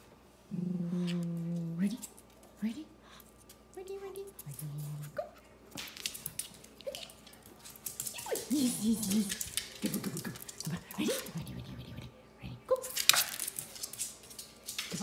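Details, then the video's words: Two Shih Tzus, ZaiZai and MoMo, arguing over a toy: drawn-out low whining growls in the first seconds, another short growl later, then brief yelps among scratching, rustling play noises and a person speaking. "[shih tzu] ZaiZai & MoMo Argue over a Toy"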